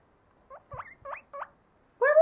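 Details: Pet guinea pigs calling on 23 December 2014 while their owner talks to them: four short upward-sweeping squeaks in quick succession, then a louder harmonic sound at the end.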